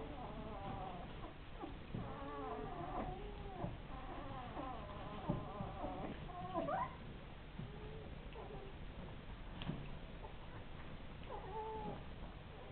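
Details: Ten-day-old Rhodesian Ridgeback pups whining: a run of short, harmonic, wavering squeals through the first four seconds, a sharp rising squeak near seven seconds, then two brief whines near the end over low rustling and shuffling.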